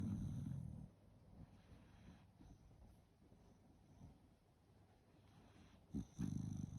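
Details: Sleeping Shiba Inu dog snoring: loud low rumbling breaths at the start and again near the end, with quieter soft breathing between them and a faint steady high hum in the background.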